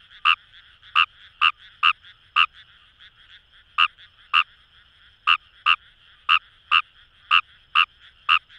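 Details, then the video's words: Paddy-field frog Fejervarya kawamurai recorded in rice fields by the Kamo River in Itoshima, Fukuoka, Japan; crisp clicking croaks in uneven bursts, about fifteen notes with a pause near the middle, nothing else audible. "Wild Frog Call | ヌマガエル"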